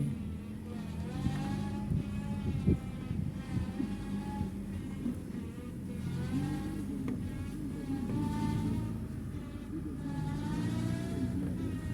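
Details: Steady vehicle engine rumble with shifting harmonic tones throughout, a few sharp knocks, and faint voices underneath.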